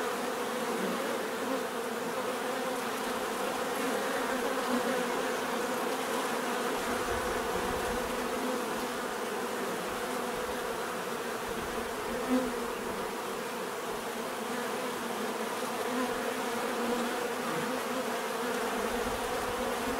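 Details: Natural sound of bees: a long, even swarm drone of overlapping buzzing wings, with occasional single bees passing closer, one sharp louder moment around twelve seconds.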